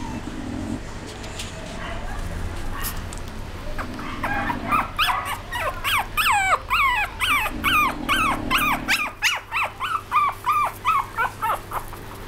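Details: A young female Chihuahua gives a long run of high, wavering whimpering yelps, about three per second, rising and falling sharply. Low background hum and a few soft rustles are heard at the start.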